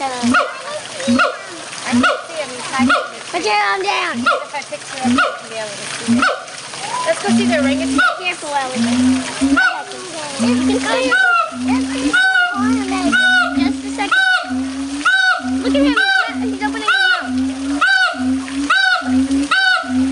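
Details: A group of howler monkeys at Audubon Zoo in New Orleans, August 16 2008, in full loud chorus: rough, harmonic roaring bursts pulsing about once a second, layered with higher, wavering overlapping calls.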